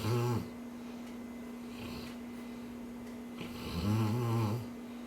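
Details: A dreaming Cane Corso snoring: two loud, deep, tonal rumbling snores, one at the start and one near the end, separated by quieter airy breathing, with a constant background hum.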